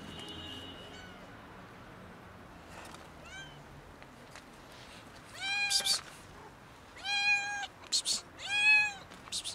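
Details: Hungry domestic cats, a kitten among two cats, beg for food with loud, repeated meows. Clear harmonic cries come in quick succession, several overlapping near the end, with sharp clatters between calls and faint earlier mews.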